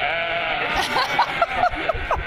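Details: New Zealand sheep flock answering their farmer's calls like a protest chant; several short, wavering bleats in quick succession over a steady background murmur.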